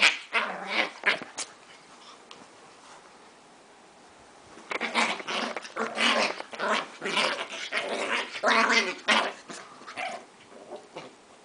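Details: Two dogs growling while fighting over a crab plush toy indoors; rough, noisy growls in bursts, quiet gap in the middle, then a long run of snarling growls before one dog gives up.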